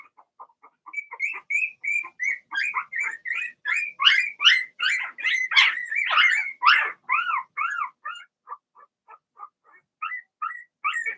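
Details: Blenheim Cavalier King Charles Spaniel puppies from Remy's first litter of six, in an indoor puppy pen, squeal in a steady run of short, high, rising whimpers, about two or three a second, swelling in the middle and then thinning out.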